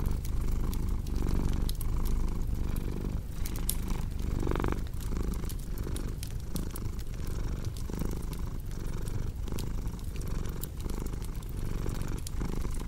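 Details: Cat purring in a steady low rumble, each inhale and exhale marking a soft pulse, while fireplace wood crackles and pops throughout.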